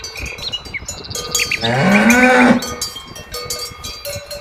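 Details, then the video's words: A cow outdoors gives one loud, low moo that rises then slides down over about a second, with cowbells clanking and faint background calls around it. "Cow sounds"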